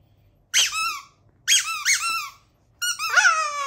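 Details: Pet Chihuahua howling indoors in a small room: three short, squeaky, whining wails with a sliding pitch, each under a second long, separated by brief silences.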